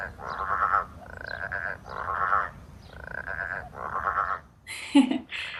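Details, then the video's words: Loud chorus of growling grass frogs in January heat with no wind: rasping, pulsed growls lasting about half a second each, repeated steadily by several callers, then a sharp brief higher-pitched noise near the end. "I think they were loving the heat. So that was taken in January, and it was a stinking hot day."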